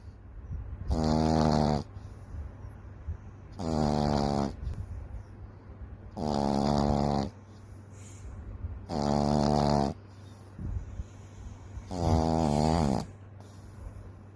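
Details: Frenchton puppy Daisy Fay, a Boston Terrier and French Bulldog mix, asleep and snoring loudly: five long, harsh, rumbling snores, each about a second long, coming roughly every three seconds with quiet breathing between.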